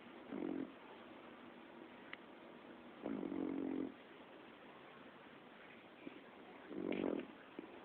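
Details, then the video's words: A sleeping five-month-old puppy snores, giving three rasping, low breath bursts roughly every three seconds with faint clicks between them in a quiet setting. "puppy winston snoring"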